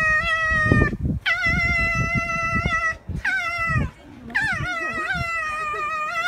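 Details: Captive fox at Zao Fox Village, Japan, December 2016, angry during a fight: drawn-out, harmonically rich screeching whines, some starting with a sharp upward sweep, then steady, broken by brief pauses, with low thumping noise beneath.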